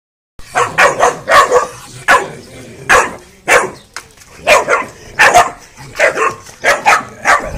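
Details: Twelve-week-old Cane Corso x Mastiff puppies barking: short, sharp yappy barks in quick bursts of two or three, repeated through the recording with brief pauses between, no other sounds.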